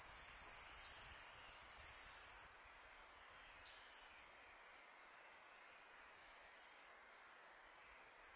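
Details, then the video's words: Crickets at night in summer give a steady high-pitched trill, nearly constant, with faint wind noise and a couple of soft clicks. "Crickets sound for meditation"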